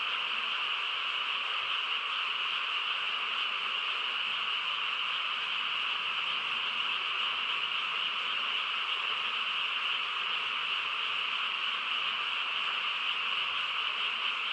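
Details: Frog chorus on a quiet countryside night, a dense, unbroken wall of overlapping trills and croaks that holds steady at one level for the whole stretch, with no other clear sounds.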